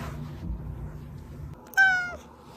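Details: Pet cat calling, the sound used to lure hiding cats out: a single loud, clear meow with rich harmonics, steady then dipping slightly, following a second and a half of low background hum.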